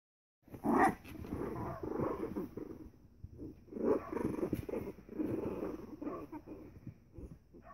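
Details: Three-week-old Pembroke Welsh Corgi puppies playing together: low, rough growls and grumbles in bursts, with a sharper yelp near the start and short pauses between rounds of play.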